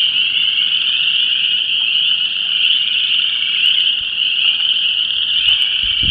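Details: Chorus Frogs, Spring Peepers and Wood Frogs in full mating chorus at an ephemeral wetland depression, Vermilion County, Illinois: a constant overlapping mass of high piping trills, with a short wind gust at the very end.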